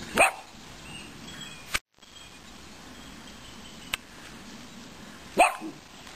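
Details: Miniature dachshund barking while wanting to play with a foal: two short, sharp barks, one right at the start and one near the end, with a faint click between and a quiet background otherwise.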